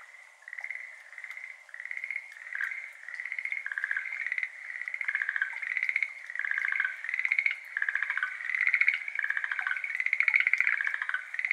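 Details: Evening chorus of Schlegel's green tree frogs, a Japanese endemic, at a water-covered iris garden, 6:53 pm on 17 May 2022, captured binaurally with an ambisonic mic; dense overlapping rattles of quick pulses, swelling steadily louder throughout.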